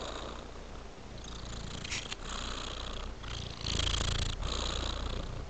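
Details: Domestic cat purring: a steady low rumble throughout, with soft rhythmic pulses and a few brief broadband rustles and breathy bursts on top, in a quiet indoor setting.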